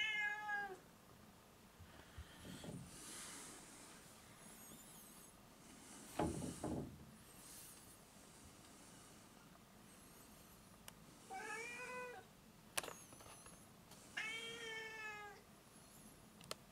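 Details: Pet cat Foo, wishing to go outdoors, utters a few shorter meows among indoor rustling, thumps and clicks; two clearer falling meows come toward the end, separated by a sharp tap.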